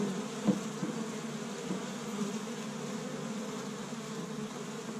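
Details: Honey bees crowding an established hive in spring in Michigan, first warm day, gathering pollen from tree buds; even low drone of many wings, with a short sharp tap or knock early on.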